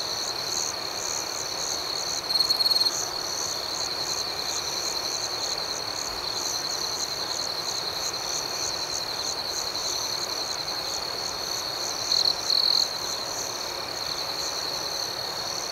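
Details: A dense, even chorus of crickets chirps through the night, a constant high ringing tone laced with regular pulsed chirps. Two short louder buzzy bursts break through, one early and one late, against quiet outdoor hiss.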